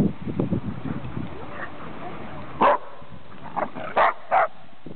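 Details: Dachshund Buddy meets Cooper, a Wheaton Terrier/Giant Schnauzer mix, at Golden Gardens park in Seattle; a person talks, then four sharp barks come, one alone and three close together, over low rumbling outdoor background noise.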